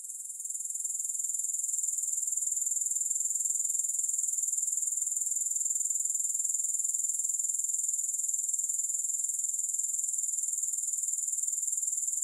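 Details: Grasshoppers keep up a bright, high, rapidly pulsing buzz that rises in loudness over the first seconds and then stays constant, beating about four times a second without music.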